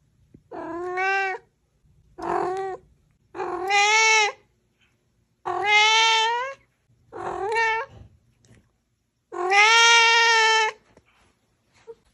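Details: Kittens being fed raw fish meow loudly: six drawn-out, strongly harmonic cries, each about a second long and separated by short silences, some rising then falling in pitch.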